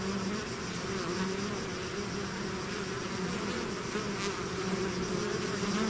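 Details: Massed bees swarming from their hive produce a constant droning buzz, steady low and mid humming tones over a grainy wash of wingbeats, unchanged for the whole stretch.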